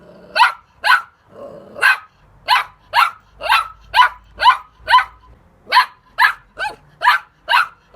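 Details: Rapid, fairly steady series of short, high-pitched puppy barks, about two per second, with a brief low growl near the start.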